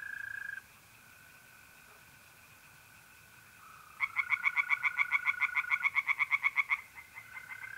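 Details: At a pond in North-East Italy on a mid-April night, a near-quiet spell with only the faint continuous trill of mole crickets gives way to a burst of loud, rapidly pulsed tree frog croaks lasting about three seconds, then fading.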